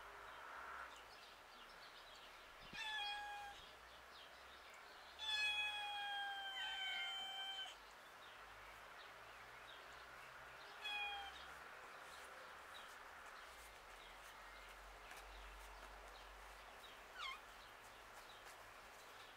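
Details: Domestic cat roaming outdoors in a village street, giving several drawn-out harmonic meows near 3, 5 to 7.5 and 11 seconds, the long middle one falling slightly, with a short chirp near 17 seconds over low outdoor background noise.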